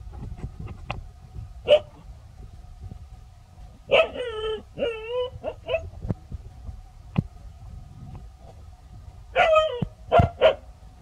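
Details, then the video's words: Pao and Rank, two dogs in a village, bark in earnest at a snake. Scattered single barks give way to tonal, yelping barks with a ringing, harmonic quality in two bursts, over a steady low hum. "Pao & Rank Are Barking Seriously"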